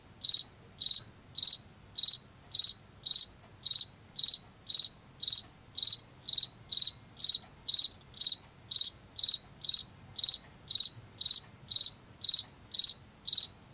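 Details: Washington field cricket chirping in a long even series, nearly two chirps each second, each a brief pulsed trill, from the insect heard in fields and forest edges in late summer and fall.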